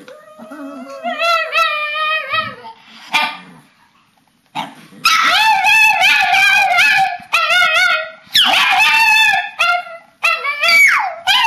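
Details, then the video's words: Household papillons with a shih-tzu doing their bedtime 'talking' ritual, March 2007: a soft opening whine, a pause, then sustained wavering howls in overlapping voices, interrupted by sharp yelps and a sliding cry. "Talking dogs!"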